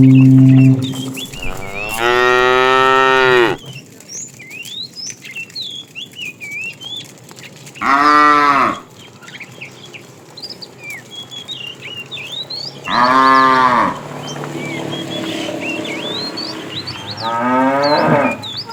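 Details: Tame cows roam widely in search of food. Four separate moos come about five seconds apart, each a rich, drawn-out low call. Birds chirp continuously between them.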